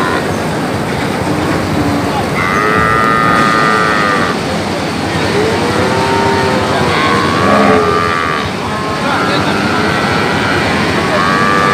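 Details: Brahman and Limousin calves bawling repeatedly, several sustained, slightly bending cries overlapping one another, heard against loud steady motor noise and people talking.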